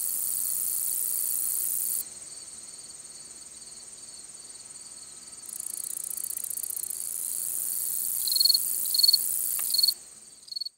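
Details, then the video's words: High, continuous buzz of a long-spurred meadow katydid that shifts in loudness, followed by a few short, clear, repeated pulses before the sound stops abruptly. "Long-spurred Meadow Katydid Song ID"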